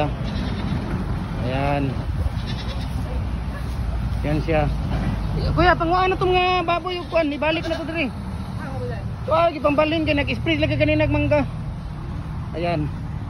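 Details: Recently bought goats for sale bleating in quavering, wavering cries that come in several bursts of one to two seconds, over steady people's talk and background rumble.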